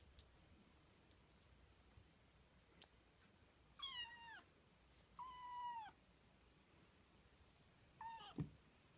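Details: Female kitten Jjing, two days into her new home and wanting to play, gives three clear, drawn-out meows, the middle one longest and level before dropping, with short pauses between and a faint thump at the end indoors.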